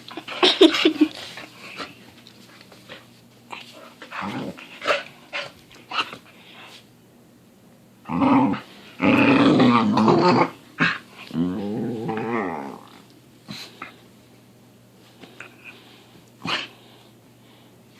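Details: Pit bull making funny noises in the morning inside a small room: scattered snorts and grunts, then longer growly grumbles and a drawn-out whining moan midway, followed by sparse snuffles.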